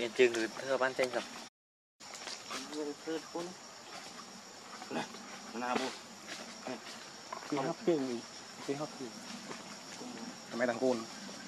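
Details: Baby monkey Leo, very angry and hungry, crying to beg its mother for milk: short harmonic whimpering cries that rise and fall, given in quick irregular bursts over a steady high insect-like hiss.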